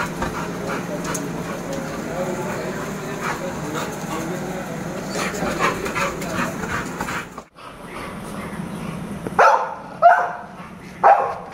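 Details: American Bully, Jack, an award-winning pet dog: a steady murmur of noise for seven seconds gives way to quiet, then three sharp, separate barks about a second apart near the end.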